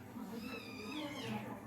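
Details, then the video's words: Cats fighting: a drawn-out, wavering, whining caterwaul that bends upward and downward over nearly two seconds, with murmuring human voices underneath. "They Are Fighting"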